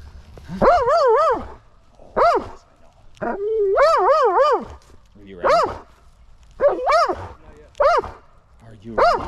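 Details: Belgian Malinois, a male dog, during mantrailing practice, excited before being sent to find a missing person: high, wavering whines and yelps in repeated bursts about every second, with a handler speaking softly between them outdoors.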